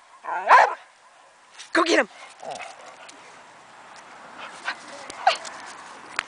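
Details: A 9-year-old Boxer in a backyard with a 12-year-old female dog gives two loud, throaty barks about a second apart, followed by softer scattered sounds.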